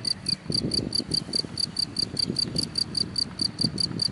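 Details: Cricket in grass chirping in quick, regular, high bursts, about four per second, over a steady low rumble and rustling noise.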